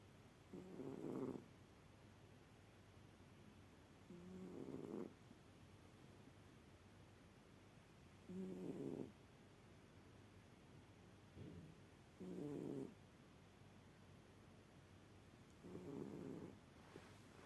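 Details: Sleeping cat snoring: soft, low, breathy rasps about a second long, repeating steadily roughly every three and a half seconds, with quiet pauses between them over a faint hiss.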